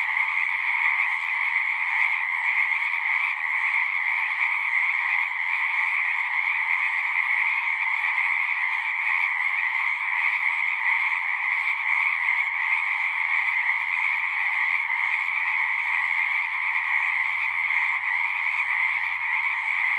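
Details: Continuous frog chorus from a natural recording, countless voices merging into a constant high, buzzing drone with two stacked pitch bands and an unchanging level over twenty seconds. A faint low hum appears near the end.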